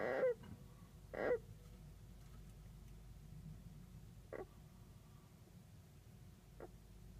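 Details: Long-haired kinkuma golden hamster snoring loudly in its sleep. Two rough, wheezy snorts open the recording about a second apart. After a pause come two shorter, fainter snorts, the last near the end.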